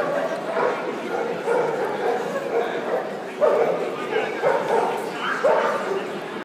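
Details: Two Australian Cattle Dogs meeting for the first time in Cesena, 2014, described as love at first sight; short barks and yips rise above steady human speech, with louder bursts near three and a half and five and a half seconds.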